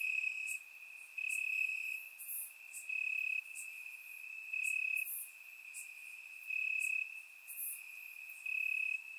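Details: Night chorus of crickets in grass during a warm Bulgarian summer, surround-microphone recording: a continuous shrill trill with louder pulses roughly every second, each lasting about half a second, over a softer steady background chirr.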